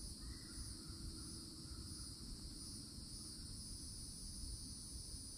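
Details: Loud cicadas at the wooded edge in Florida summertime, sustaining an even, piercing high drone for the whole stretch; soft bird chirps appear in the first seconds over a dense low rumbling background.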